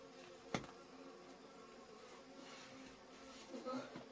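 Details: Wild honey bees buzz during a harvest of wild honey: a low, steady droning hum with a faint overtone, broken by one sharp knock near the start and brief handling rustles toward the end.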